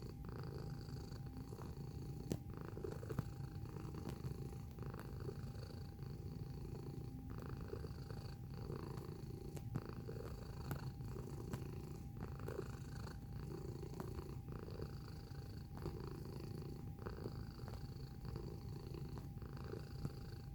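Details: A cat purrs steadily at close range for about twenty seconds. The deep, throbbing rumble rises and falls with each breath, about once a second, over a faint constant background tone.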